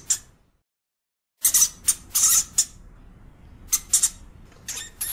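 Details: European hamster giving short, harsh, hissy bursts high in pitch, first a single burst, then after a silent pause a quick cluster of four or five, then more scattered pairs, over a faint low background hum.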